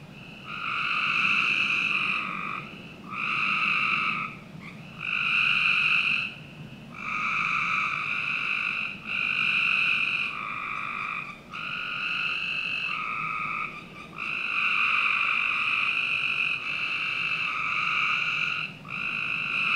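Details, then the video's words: Chorus of frogs in a Northern Virginia home's backyard on a summer night: a steady sequence of buzzy, harmonic trills, around a dozen bursts of one to two seconds, callers overlapping and answering one another. "Frog Night 1"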